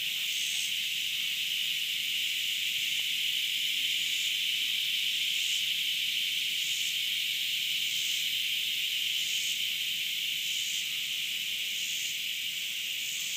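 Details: A cicada drones in a steady, shrill buzz that never lets up; recorded 30 August 2013.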